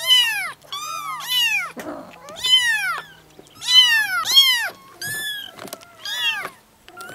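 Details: A crowd of seven kittens, four to five weeks old, raised in a yard by two sibling mother cats, meowing together in June 2017; loud, high, bending mews pile up in overlapping pairs with a brief scuffling noise.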